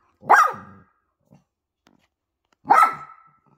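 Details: Poodle at home with a mother and her puppies: two sharp, loud barks about two and a half seconds apart, each with a quick falling tail, near silence between them.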